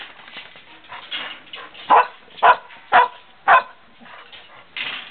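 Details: English Setter puppy giving four loud, short, sharp yips about half a second apart, set among softer whines and rustling.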